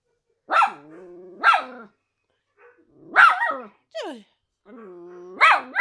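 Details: Miniature Schnauzer, worried while reacting to footage of a frightened Doberman, lets out single loud barks that trail into long, level, tonal whining moans, with a brief falling yelp in between.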